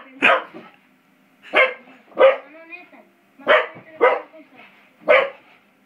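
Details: Five-month-old English Springer Spaniel playing with a door spring indoors, giving six short, sharp barks at irregular intervals of about one second, each bark bright and harmonic-rich, with quiet gaps between them.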